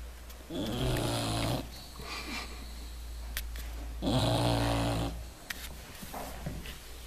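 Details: English Bulldog sleeping deeply, snoring in two long rumbling breaths about three seconds apart, each a low harmonic buzz lasting roughly a second, with quieter breathing between, indoors.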